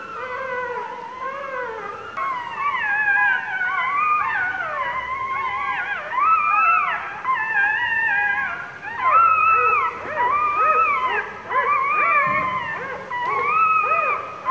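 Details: Newborn puppy, two days old, squealing in pain as the mother dog sits on it like a stool: dense, overlapping, rising-and-falling whines in loud bursts, nearly continuous crying.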